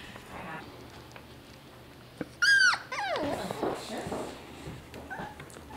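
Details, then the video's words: Maltese puppies resting together in a laundry basket indoors, one giving a high arched yelp, then a run of falling whimpers and squeaks, with soft human voices in the background. "Puppies in a Laundry Basket"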